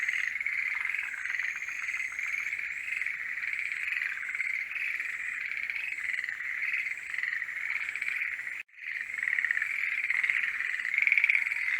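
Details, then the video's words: Chorus of forest green tree frogs in their mating season, a continuous rattling, grating trill of many overlapping callers with no pauses, broken by one brief drop to near silence before it resumes, louder at the end. "モリアオガエルの鳴き声(Forest green tree frogs are singing)"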